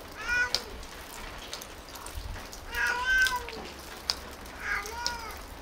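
A tabby cat gives three drawn-out, tonal meows, each bending up and then falling away.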